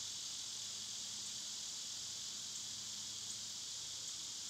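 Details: Loud summer cicadas producing an intense, even, high-pitched electric buzz that runs without a break, backed by a faint low hum.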